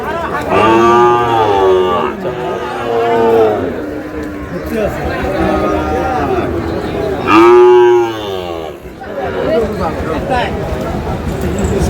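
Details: Sahiwal cattle heard while a Dhaka farmer buys a Sahiwal bull calf, 27 April: repeated rich, wavering moos, two long bellows several seconds apart plus quieter lowing between, over a murmur of human voices.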